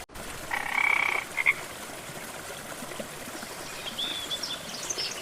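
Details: Frog calling beside a gentle jungle waterfall in lush rainforest: one rasping, pulsed croak lasting under a second, followed by a short clipped note. Steady rushing water throughout, with faint high chirps later on.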